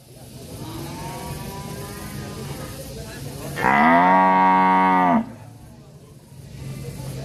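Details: Cattle calling angrily in an Indonesian village: a faint moo early on, then a loud sustained bellow of about one and a half seconds, rich in harmonics, rising at the start and dropping at the end, over low background rumble.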